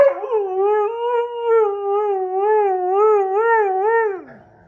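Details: Sasha, a Husky-Malamute, howls in protest while Kat the Husky and Paco the Doberman play: one sustained, tonal howl of about four seconds with a steady wavering vibrato, dropping away sharply at the end.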